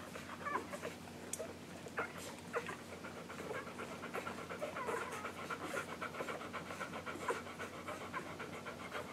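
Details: Nursing English Golden Retriever puppies just under one week old, Maddie and Jazz's litter, recorded July 15, 2012; dense rhythmic suckling and panting-like snuffles, with occasional brief high squeaks and a constant low background hum.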